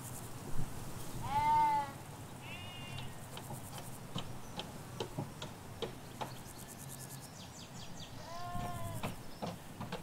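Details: Lambs and ewes in a Hampshire sheep field: two clear wavering bleats near the start, a short one after, then quiet clicks and countryside ambience before a final quavering bleat, low traffic hum throughout.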